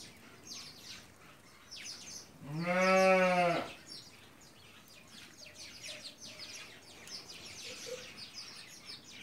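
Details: Hungarian Merino sheep, an imported breed kept in Central Anatolia, Turkey: a single low, steady, richly harmonic bleat lasting about a second near the middle, surrounded by rustling and scattered clattering noises.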